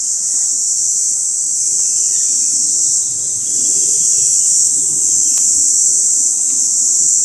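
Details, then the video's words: Continuous shrill whine of a mountain cicada's calling song from 2014 photo-hunting, droning evenly without a break; a single faint click sounds partway through. "Hegyi énekes kabócák hívóéneke"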